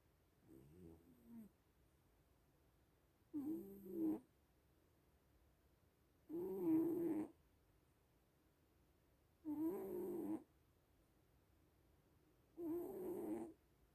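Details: Little cats asleep and snoring: five rhythmic, buzzy snore breaths spaced roughly three seconds apart, the first one softer and the rest louder and harmonic, with silence between them.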